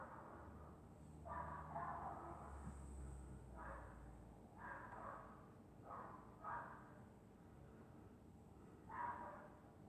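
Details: Dog sleeping on a winter night in Scotland, snoring softly: about six breathy, rasping bursts in ten seconds, each lasting around a second, spaced unevenly, over a steady low hum and a faint high electrical whine.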